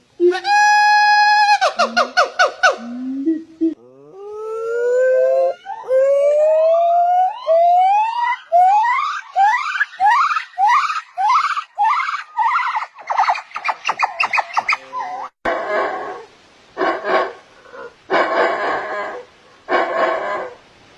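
Monkey calls: clear hooting notes, then a series of rising whoops that speed up into harsh, loud screams.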